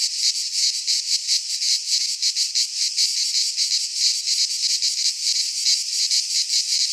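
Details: Midsummer chorus of cicadas in a pine forest in Greece, a loud shrill buzz made of fast pulsing beats that swell and dip slightly but never stop.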